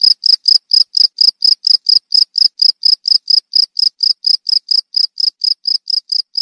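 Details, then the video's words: Cricket chirping: short, high-pitched pulsed chirps repeated steadily about four times per second, each a bright ringing burst at the same pitch, with no other sounds. "Suara Jangkrik Merdu"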